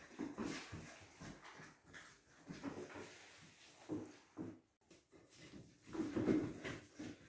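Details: Labrador and Golden Retriever mix puppies indoors: a run of soft, high whimpers and short whiny yelps in quick uneven succession, with rustling between them.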